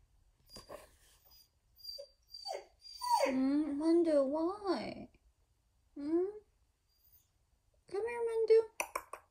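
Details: Siberian Husky left home alone, indoors in a small room, giving wavering, moaning howls that rise and fall in pitch in three drawn-out bouts with short yips before them, close to the recorder.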